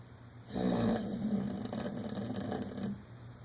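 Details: Dodger, a one-year-old dog, snores loudly while dreaming in REM sleep: one long, rasping, rumbling snore lasting over two seconds, rough and fluttering, over a steady low electrical hum.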